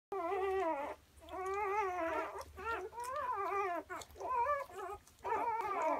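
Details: German Shorthaired Pointer puppies about six hours old give high, wavering squeaks and whines, several voices overlapping.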